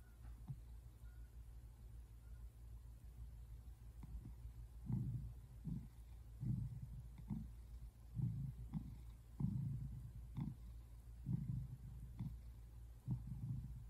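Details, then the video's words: Relaxed male tabby American Shorthair cat purring on a couch indoors, February 8, 2024; quiet start, then low throbbing purr pulses recurring roughly every half to one second, rising and falling with breathing. "Cat purring sounds"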